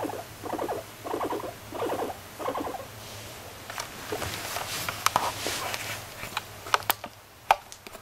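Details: Moru-chan, a pet guinea pig, makes five evenly spaced rattling call bursts, then scattered clicks and rustling as she moves about indoors.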